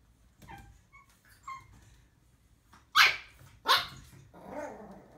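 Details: A female pug puppy on her first day home, barking at her own reflection in a mirror, gives two sharp, high barks, followed by a softer whine.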